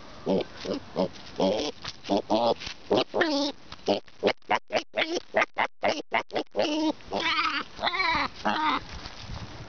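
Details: Daisy, a pig called a boar, being noisy while trying to eat the camera: a rapid run of over twenty short, harmonic grunting squeals, some rising and wavering, coming in quick bursts that bunch tightly mid-sequence before spacing out again.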